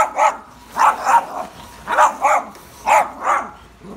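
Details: Dogs attacking a pool vacuum; sharp, mid-pitched barks come in quick pairs, about six barks over four seconds, with short silent gaps between the pairs.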